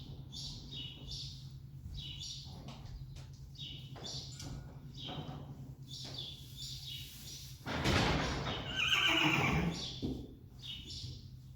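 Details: Friesian horse whinnying: a loud, quavering neigh breaks out about eight seconds in and lasts roughly two seconds. Before it, small birds chirp steadily and faint rhythmic thumps sound in the background.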